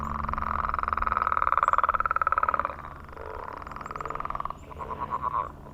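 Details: Frog mating call on a millrace in the morning, recorded close up: a loud, rapidly pulsed trill lasting about three seconds, then quieter overlapping trills from other frogs, over a low background hum.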